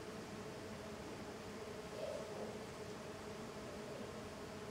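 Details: Small golden stingless bees, Tetragonisca angustula, in intense activity outside their hive; a dense, steady buzzing hum runs throughout, swelling slightly near the middle, with no other clear sounds.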